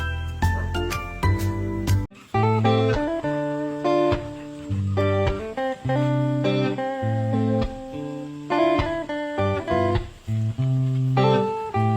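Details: Strummed and plucked acoustic guitar music plays throughout, with a steady chordal rhythm and no animal sounds.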